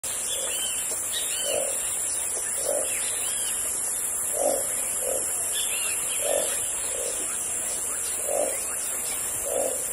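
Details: Frogs calling in the Amazon jungle: short mid-pitched knocking notes repeated irregularly about once a second, over a dense steady high insect drone, with faint chirping bird notes higher up.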